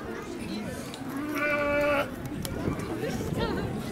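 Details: A lamb at Nasu Animal Kingdom in Tochigi, Japan, recorded 29 April 2018, gives one loud, steady, flat-pitched bleat lasting nearly a second, rich in harmonics. Crowd chatter surrounds it.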